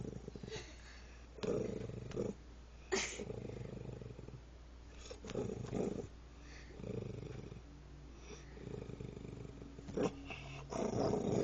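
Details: A female dog, mad with a bone in her mouth, growls in low, rumbling bursts that rise and fall like a revving motorcycle engine.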